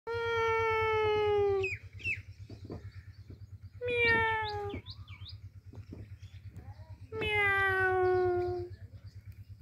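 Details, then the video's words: Cat meowing: three long, drawn-out meows, each about one and a half seconds with a slightly falling pitch, spaced roughly three seconds apart, with soft clicks and a low steady hum between them. "Cat meow meow cat!"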